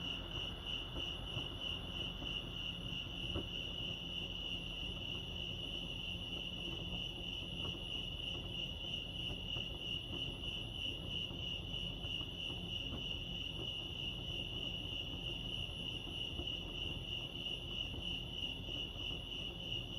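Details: Lake Arrowhead crickets in California keep up an unbroken high chirping, a shimmering pulsed trill at a single pitch for twenty seconds, with faint low ambient noise beneath.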